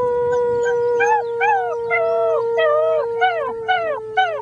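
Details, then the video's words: Six-week-old German Shepherd puppies howling along with a human friend, 'singing the blues': short arched, wavering cries rising then falling, repeated roughly twice a second over a steady, sustained held tone. "German Shepherd puppies sing the blues"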